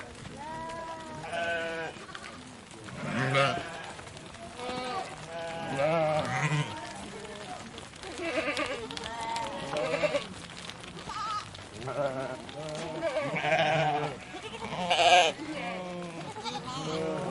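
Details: A flock of sheep bleating together: many overlapping, wavering, harmonic bleats of varied pitch follow one another almost without pause, forming a dense, continuous chorus with louder bursts around the middle and end.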